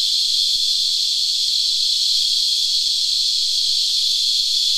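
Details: Chorus of sap-sucking cicadas, known locally as Christmas beetles, singing from a tree: an unbroken shrill hissing whine, with a faint series of short, evenly spaced low tonal notes in the first half and scattered clicks.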